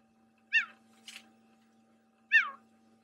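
A cheetah gives two high, bird-like chirps about two seconds apart, calling out to his brother.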